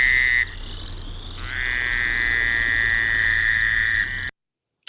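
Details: Fowler's toad chorus from a marshy Lake Erie creek mouth, recorded May 20, 1972: a harsh, nasal buzz sustained nearly three seconds over a fainter second buzzer, then the recording cuts to silence.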